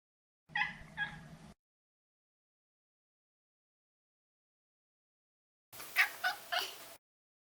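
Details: Maine Coon Maro, a neutered male pet cat, giving two short broken meows separated by a long silence, each split into quick choppy syllables with a breathy, noisy texture.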